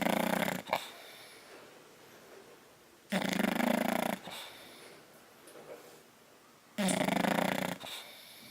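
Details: Bulldog snoring while napping, recorded 10/29/12: three loud, rasping breaths roughly a second long, about three to four seconds apart, with soft snuffles and a brief snort between them in a quiet room.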